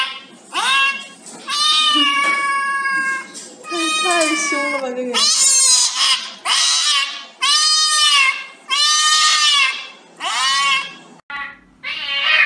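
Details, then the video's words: Cat receiving an injection gives about nine loud, whining meows in a row, each bending up then down, with brief gaps between them and voices in the background. "Funny Compilation Cat Injection"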